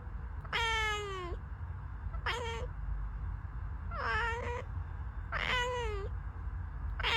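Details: Domestic cat meowing indoors, four drawn-out harmonic meows, each starting high and sliding down, spaced about one and a half seconds apart over a low steady hum.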